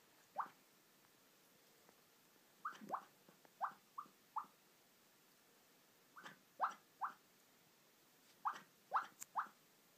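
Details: A female puppy napping in her bed gives soft, high squeaky whimpers in little bursts of two or three while asleep.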